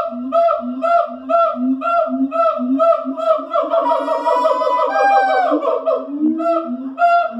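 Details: Morning calls of siamangs at the Columbus Zoo: steady repeated hoots about twice a second, joined midway by a long rising, shrieking scream that climbs and then falls back into the hooting rhythm.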